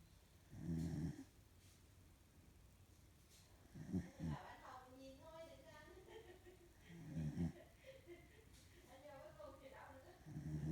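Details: A female corgi snores while sleeping indoors. Four low, rattling snores come roughly every three seconds, and people can be heard talking in the background between them.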